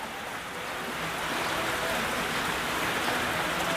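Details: Heavy, steady rain hisses evenly across the whole stretch, and no animal voice is heard.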